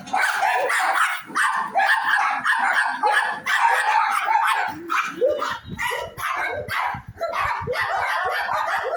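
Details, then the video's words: Dogs barking together in a dense, overlapping run of sharp, repeated barks that follow each other rapidly, with short dips between bursts and no clear background sounds. "dogs barking"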